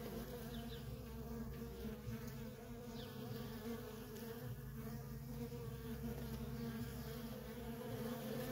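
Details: Many worker honey bees at a feral colony with nonstop comings and goings, giving an even, continuous buzz with a layered low and mid hum that holds steady throughout.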